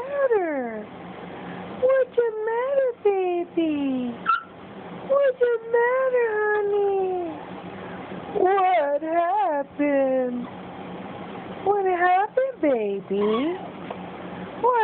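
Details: Cj, a Boston Terrier puppy, talking to its owner: a long run of whiny, yodelling tones that rise and fall in pitch, often bending downward, broken by short pauses throughout.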